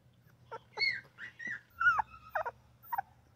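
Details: Tiny newborn puppy makes little squeaks, almost chirps: thin high peeps and brief rising-falling whistles in quick uneven succession, over a faint low hum.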